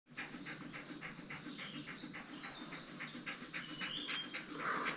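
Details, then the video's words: German Shepherd puppy reacting to its owner crying: soft, rhythmic panting of quick breathy pulses, roughly two per second, steady throughout, with faint tonal background sounds. "German Shepherd Puppy Reaction to Me Crying"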